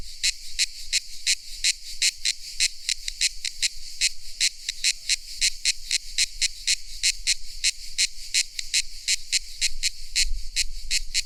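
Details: A cicada's summer song in a tropical setting: bright, buzzy chirps in a steady rapid series, about three to four each second.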